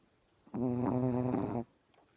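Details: A dog snoring after getting up very early: one drawn-out, nasal, buzzy snore lasting about a second, low-pitched with a steady droning tone, in a quiet indoor room.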